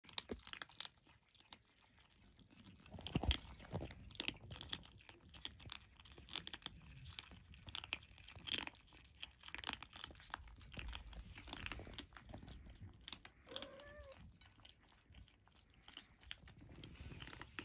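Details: Five Turkish Angora kittens, just starting on dry food, crunch and chew kibble with quick, crackly bites in a small room; recorded 27/01/2023.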